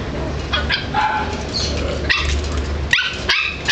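A Basenji gives short, abrupt yelping calls over a steady low background rumble.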